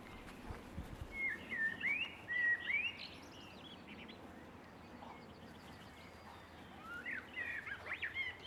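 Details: Six-week-old Boston Terrier puppies giving thin, high squeaky whines that slide up and down, in two bursts near the start and end with a quieter gap between, over a steady low background hiss.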